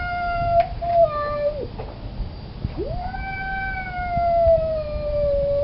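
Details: Male cat in heat moaning for a fixed female: a steady wailing tone that drops off, a brief pause with clicks, then a long swooping howl that rises and slowly sinks.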